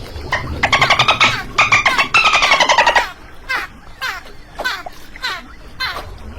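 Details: Dolphin giving rapid buzzy pulsed bursts, each a dense train of clicks with bright bands that slide slightly downward, three bursts in the first three seconds, then sparser scattered clicks and short pulses over a quiet background.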